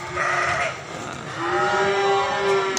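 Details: Goats at the Grabag goat market, crowded with animals: a quavering bleat, then a long steady wavering bleat lasting over a second, over a dense murmur of market crowd noise.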